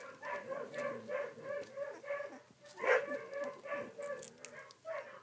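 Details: Sixteen-day-old collie puppies, filmed 3 June 2013, give continuous high, tonal whimpers in quick succession, with one louder, sharper yelp near the middle.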